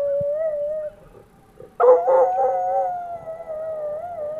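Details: Andy-Tucker, a coonhound, howls in response to fire truck sirens; a sustained wavering howl, a brief pause, then a louder broken, pulsing burst easing into a long gently undulating tone.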